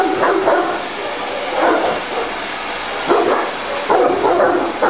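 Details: Tosa inu, an 11-month-old 60 kg dog, playing with a vacuum cleaner, giving a series of short barks and yips roughly every second over steady loud vacuum roar.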